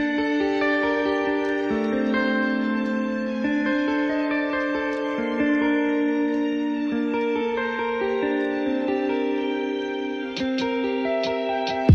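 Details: Gentle new-age music of plucked guitar-like notes over held tones fills the recording, with no animal sounds.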